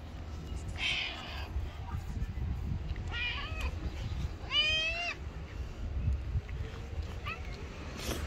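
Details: A friendly stray tabby cat living on the street gives several short meows, one longer and wavering, over a low background rumble.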